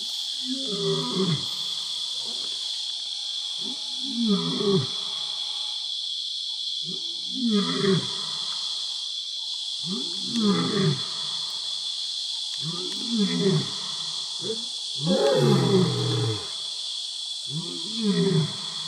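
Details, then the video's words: Two pride male lions roaring at nightfall on safari at Selinda Reserve, Botswana, vocalizing dominance over their territory; a series of grunting roars repeated roughly every three seconds, set against a steady high insect chorus. "lions roar together - vocalizing dominance over their territory"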